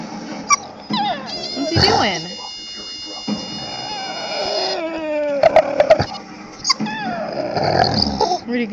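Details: Dog making dolphin-like whimpers: long steady high-pitched tones, sliding squeals and a brief burst of quick chirps, with people talking in the background.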